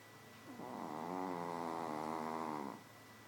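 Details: Sleeping Shih Tzu Nouchka lets out one long, buzzy, wavering snore lasting about two seconds, rising in softly and fading out, over a faint constant hum in a quiet room.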